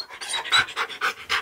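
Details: Siberian Husky panting while being asked to choose between cooked steak and buttered toast: quick, breathy, hissing puffs of air, about four to five per second, steady and rhythmic, with no other clear sounds.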